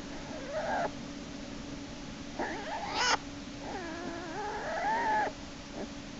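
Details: American black bear cub Jason in a den on March 1, 2011, screaming and kicking as Hope drags him back inside by his back leg. Four drawn-out, wavering, harmonic wails rise and fall over six seconds above a steady low hum.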